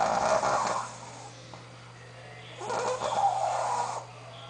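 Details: Sophia the Shih Tzu, a female dog, fast asleep and snoring: two long, rough, wheezy snores lasting over a second each, separated by a quiet pause, with steady low background hum.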